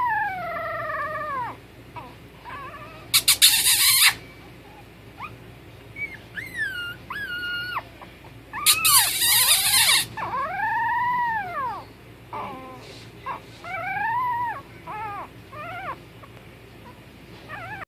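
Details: Puppies whimpering: scattered high, arched whines that rise and fall, some in quick pairs, broken by two loud bursts of rustling or scraping noise.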